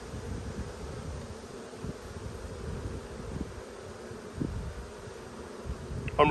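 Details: Low, unbroken buzz of honey bees as a frame is returned to the dark hive during an Australian inspection in a dearth, February 2022. A few soft knocks are heard, and a man's voice starts at the very end.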